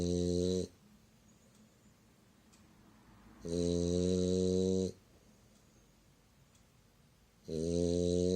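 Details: French Bulldog named Myu sleeping comfortably indoors, giving long, deep, rasping snores of about 1.3 seconds each, repeating roughly every four seconds, with quiet breathing between them in a small room.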